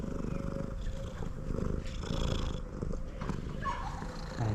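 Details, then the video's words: Male domestic cat purring loudly while eating: a steady, low, rumbling purr running unbroken through the whole stretch, with faint clicks and a quiet room behind it. "Male cat that purrs loudly even while eating is very cute"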